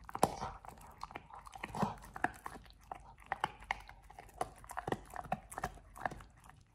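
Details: Pit Bull named Oliang gnawing a raw ostrich paw as a teeth-polishing, jaw-exercise snack: dense crunching and biting, frequent sharp cracks clustered toward the end, steady soft chewing noise underneath.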